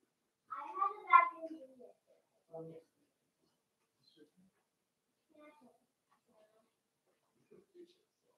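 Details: Five-week-old Cavalier King Charles Spaniel puppies from Daisy's litter in their indoor puppy pen: one rising-and-falling whimper of about a second and a half, then a short yelp and scattered faint squeaks in a quiet room.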